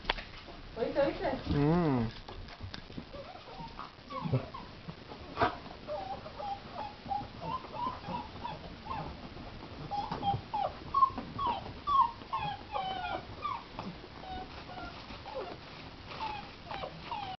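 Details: A litter of two-month-old Basset Hound puppies, lemon and tricolour, in Pennsylvania, USA, in February 2010, open with a wavering howl. Short, high squeaky whimpers and yelps follow in an overlapping stream, with human voices and rustling.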